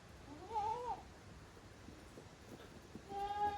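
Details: Kid goats playing in the exercise area at Yoshigake goat farm, 30 April 2023. Two quiet bleats, a short wavering cry and a later steady one, with soft knocking in between.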